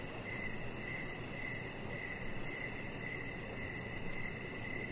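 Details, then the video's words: Evening chorus of crickets by a deck with decoration lights and Rocket, a chihuahua puppy, lying there; bright regular chirps recur roughly every half second above a soft, steady rush of background noise. "3 Hours Of Chihuahua Puppy Laying On Deck with Cricket Sounds"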